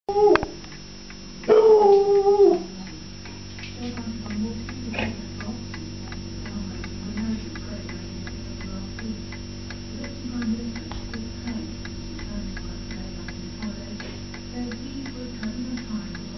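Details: Foxhound; howl; asking for food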